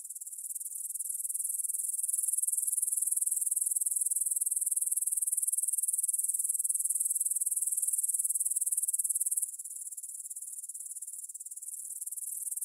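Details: A chorus of grasshoppers stridulating in a meadow by the Svensky monastery in Bryansk, Russia, 9pm, 6 September 2020, recorded in stereo on a Tascam DR-44WL: a steady, high, fine-grained pulsed buzz that abruptly drops quieter late on.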